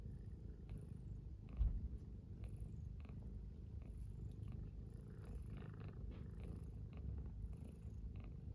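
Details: Domestic cat purring on a cold-wave winter morning next to an oil heater, two cats lying embraced; deep continuous rumbling purr throughout with a soft thump early on, small indoor room.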